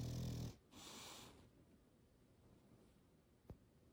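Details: Slumbering English Bulldog being petted as it sleeps, giving a loud, rough, low snore that cuts off abruptly, then a second breathy, wheezing snort, before settling into quiet with one faint click.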